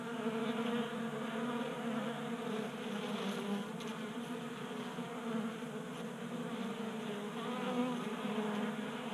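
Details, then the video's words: Honey bees, active in January warmth in Colorado, hum continuously at a table-top bee feeder in a garage; a dense, even drone with stacked harmonics and faint overlapping wingbeats. "45 Minutes of Honey Bees Feasting from 3D Printed Bee Feeder"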